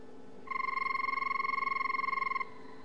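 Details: A banded rubber frog (Phrynomantis) gives one sustained, bell-like trill of rapid even pulses, holding steady for about two seconds, high, clear and almost telephone-like against a faint background hiss.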